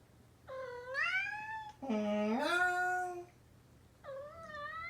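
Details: Indoors, Kinta, a male orange tabby adopted from a cat cafe, meows with a long rising wail. A person's lower, sliding imitation fills the middle. Then the cat answers with another short, upward-curving meow.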